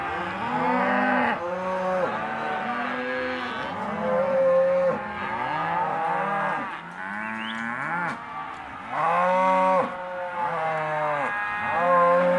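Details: Hereford and Careta cows, half-tooth age, grouped as a sale lot, calling together: dense chorus of long bellowing moos that swell and drop, several voices overlapping, with brief lulls near three and eight seconds.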